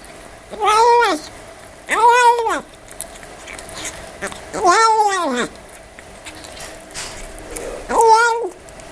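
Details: Eating kitten producing four arched, harmonic meows, rising then dropping, at roughly two-second intervals, some with a quavering mid-section, against quiet indoor hum and faint munching.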